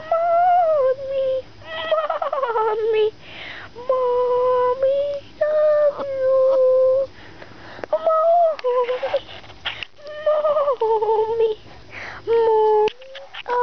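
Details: Playful puppies named Jewel, Cruser and Quin keep up a run of high, plaintive whines. Many of them dip in pitch at the end, with short gaps and faint scuffling between calls.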